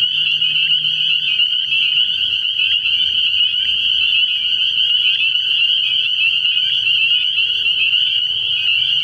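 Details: Early-spring night chorus of many spring peepers at a frog pond: piercing high notes overlapping into a steady wall of sound, with a soft low droning underneath.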